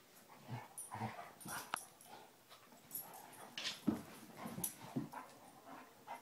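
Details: Tracker and the new Basset Hound puppy Ranger having a great time rough housing, giving short yelps, snorty grunts and scrappy bursts in a choppy, uneven stream.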